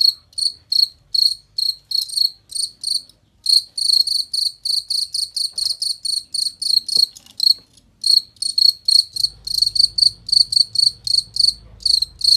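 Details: Cricket chirping, offered as a model sound for training songbirds: loud crystal-clear pulses in fast series, a short break around seven seconds, then steady again over a soft low hum.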